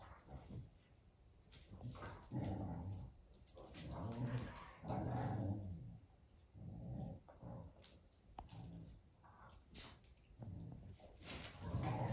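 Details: Great Dane giving low, rumbling grumbles and growl-like moans in uneven bursts across twelve seconds indoors, with a faint steady high hiss behind.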